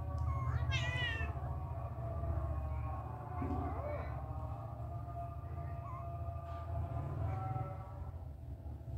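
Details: Mother cat grooming her kittens: one sharp, high meow early on, then quiet, with a low background hum and faint steady tones throughout.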